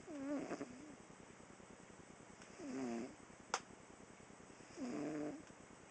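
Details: Sleeping female house cat snoring during a nap, three raspy, low buzzing breaths spaced roughly two and a half seconds apart, with one sharp click between them.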